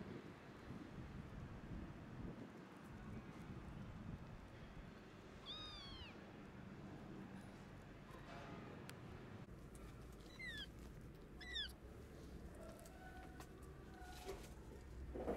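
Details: Orphaned, sick kittens whose mother is gone, hungry and wanting food: a few short, arching high meows, one early and a pair later, faint against a rumbling low background noise.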